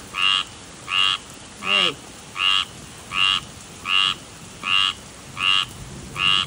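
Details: Persistent tree frog repeating nine short rasping croaks at a steady pace of about one every 0.75 seconds, with a brief descending whine in the background near the middle and soft ambient hiss throughout.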